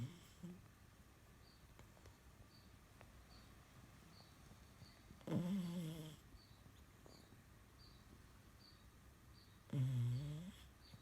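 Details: Esme, a sleeping French Bulldog, snoring indoors in a quiet room: two low, nasal, harmonic snorts about four seconds apart, each wavering for under a second, with near silence between them.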